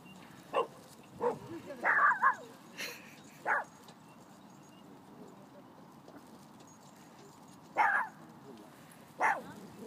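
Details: Small female Phalène dog running among big dogs and barking to stand up to them; a few sharp, short barks spaced irregularly over several seconds, with long quiet gaps between them.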